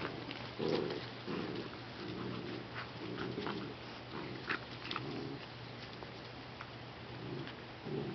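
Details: Rescue puppies indoors make low, muffled grunting whimpers in short bursts, several per few seconds, with light tapping and a steady low electrical hum underneath.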